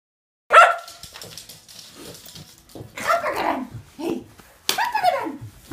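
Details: Two Shetland Sheepdogs, a tricolor and a blue merle, running and chasing each other; one sharp bark, then scattered rough barks and yaps mixed with faint human voices.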